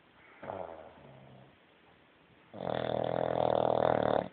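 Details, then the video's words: Ruby, a bulldog, snoring: a soft rasping breath in, a pause, then a long loud rattling snore lasting nearly two seconds. "Bulldog Ruby Snoring"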